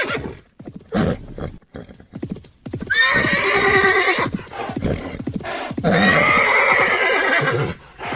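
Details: Horse neighing: after about three seconds of low snorts and hoof-like knocks, two long loud whinnies with a shaky, quavering tone, each lasting over a second, separated by short breathy pauses.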